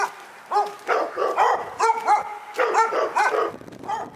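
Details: Insistent dog barks, bright and tonal with rising-falling yelps, fired off steadily about twice a second across the whole stretch.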